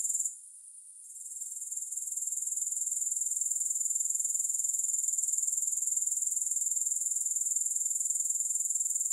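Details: Shrill, unbroken grasshopper chorus with no music, fading in after a short quiet moment at the start, then a steady rapid pulsing of around four beats each second.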